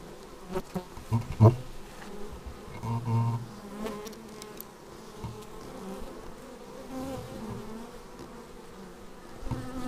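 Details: Honey bees flying in to their hive, raw action-camera recording: a dense layered hum with shifting pitches, punctuated by sharp close fly-by buzzes in the first few seconds and again near three seconds, then a steadier swarm drone.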